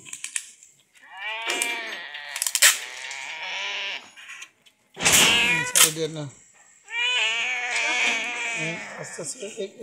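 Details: Sick cat receiving treatment from madrasa girls, giving three separate bursts of strained, quavering meows broken by short silences, mixed with people's voices and handling clatter.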